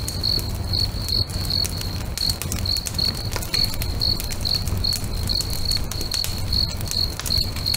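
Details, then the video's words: Crickets singing near a lake as a bonfire burns at sunset; a continuous run of high, evenly paced chirps, around two per second, accompanied by frequent crackles, pops and a low background roar. "FIRE & CRICKETS AMBIENCE"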